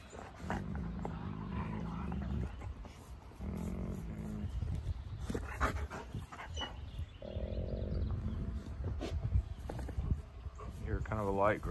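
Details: A female wolfdog gives a light growl to reassert her dominance when another was about to lick her face, not hurting him; low rumbling growls come in bursts of about two seconds, ending with a rising whine and human voices.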